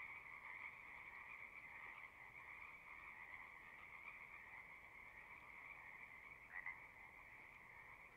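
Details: Continuous frog chorus from a pond in a horse pasture, recorded on a Zoom device: an even, unbroken trill-like hum from many callers, with one slightly louder nearby call rising out of the mass near the end.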